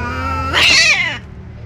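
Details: Ginger cat cornered by a tomcat gives a sudden loud, harsh rising yowl lasting about half a second that bends upward then drops away, over a steady low hum.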